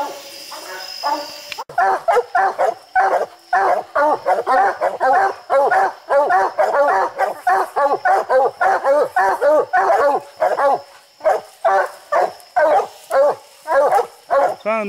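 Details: Hunting dogs barking treed on raccoons at night up a steep, slick hillside; rapid, loud barks repeat nearly twice a second, several dogs overlapping in an insistent chorus with brief gaps.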